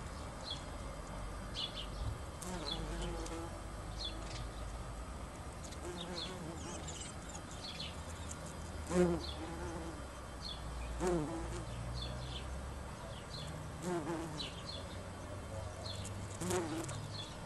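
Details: Bumblebees in a back garden in June hum with a low, droning buzz that swells and fades as they fly past.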